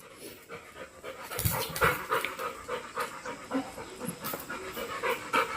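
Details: Playful Labrador dog, described as frolicking all day: quick, breathy panting, roughly three huffs per second, in an uneven rhythm with some louder bursts midway.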